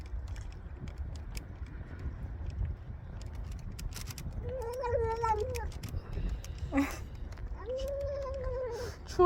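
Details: Stray street cat meows as it eats cat food on a cold day: after several seconds of low background rumble, a wavering meow, a short sharp cry, then another steady meow, with soft chewing clicks throughout.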